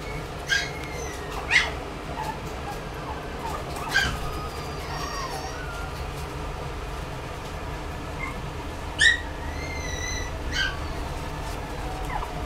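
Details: Toy Poodle (Canis familiaris), yips.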